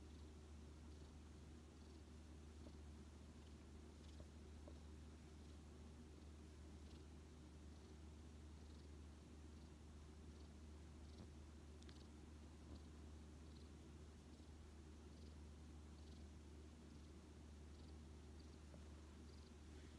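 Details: Affectionate on a lap, the rescued odd-eyed white cat Xiaolin, taken in during autumn 2018, keeps up an unbroken deep purr with steady rhythmic throbbing, the room otherwise quiet.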